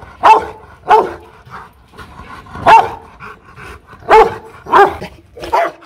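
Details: Aggressive Rottweiler named Loki Gervi at a Hanoi kennel in Vietnam, barking loudly in deep, forceful single barks, about five spaced at irregular intervals with quieter sounds between.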